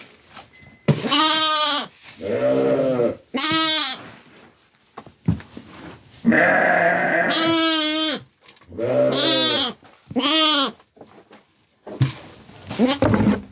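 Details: Sheep on a farm kept alongside lambs and Kangal dogs, giving a series of about six loud, wavering, nasal bleats with rich harmonics, each lasting about a second, separated by short pauses; a person calls quietly between them.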